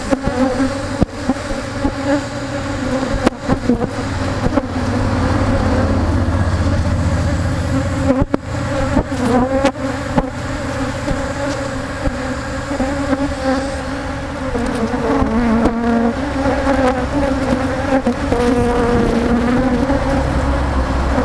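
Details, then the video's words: Africanized honey bees from a colony being worked for honey, swarming before spraying: a continuous buzzing drone, quieter at first then building, with clicks and handling noises. "African Bee Hive Angry Bees"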